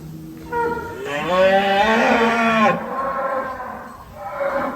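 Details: Cattle in a barn at a large farm holding about a thousand head, one animal penned in a cage; a long, loud, drawn-out moo with strong stacked harmonics lasting nearly two seconds, then a softer, shorter low call.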